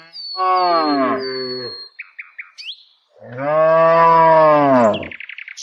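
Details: Tame village cows on their daily herded walk. Two loud moos: a shorter one that drops in pitch, then a long, steady, droning low moo. Short bird calls are heard between and after them.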